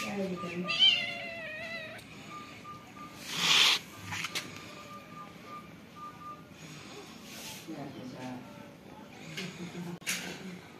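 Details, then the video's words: Cat with kittens: a few high harmonic meows near the start, then scattered faint squeaks over steady background hum, with brief bursts of noise and voices in the room. "Funny cat and kitten moving sound"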